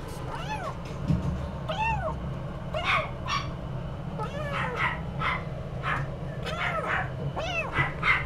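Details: Somali cat meowing repeatedly, a series of short arched mews rising and falling in pitch, roughly one every second, over a steady low hum.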